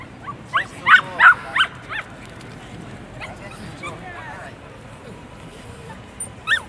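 A Bichon Frise gives a quick run of high, whiny yips, then one last yip after a pause.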